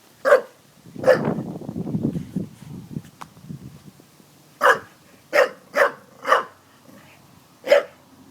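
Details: Daisy, a pet dog, barking at water jugs: seven sharp, separate barks, two early ones followed by a low grumbling stretch, then a burst of five barks near the end.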